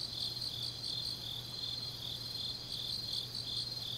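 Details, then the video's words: Distant-sounding chorus of autumn grass insects at night in Changnyeong, Gyeongnam, South Korea: layered high trills and chirps blend into a shimmering, irregular pulse over background hiss and a low hum. "깊은밤 가을 풀벌레 소리"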